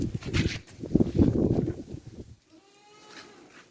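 A goat bleats in harsh, wavering bursts, then a softer tonal note trails off.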